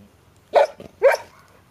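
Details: Golden Retriever puppy from a pedigree litter of six, four weeks old, in an outdoor playpen for the first time in late September 2013, Haute-Savoie, France; two short, high, harmonic yelps about half a second apart over a quiet background.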